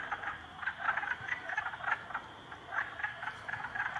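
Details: Three frogs ganging up on a salamander; rapid pulsed croaks in short rattling bursts, several overlapping, rising and falling in loudness with brief quieter gaps, over faint background hiss.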